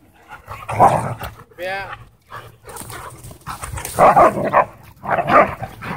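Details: Siberian Huskies play fighting in a dog park: a short wavering husky yodel, then loud bursts of growling, yowling play noise in two clusters, with people's voices and park ambience behind.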